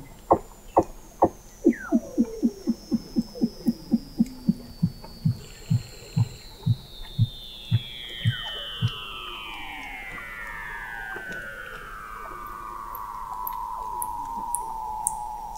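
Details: Weddell seal singing under the sea ice of McMurdo Sound, Antarctica, in November 2017, captured 21 m down at the McMurdo Oceanographic Observatory: a train of pulses slowing and falling in pitch, then a long whistle gliding steadily downward from high to mid pitch.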